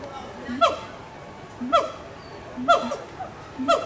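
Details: Captive gibbons calling to each other at Animal Kingdom, Walt Disney World, in 2018: short, hooting harmonic notes with a sharp rising-falling shape, repeated about once a second, with faint background chatter.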